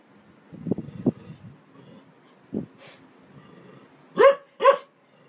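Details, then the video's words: Domestic dog barking, with scattered low rustling and a soft bark in the first second, then two loud, sharp, harmonic barks about half a second apart near the end. "Most funny dog barking videos compilation"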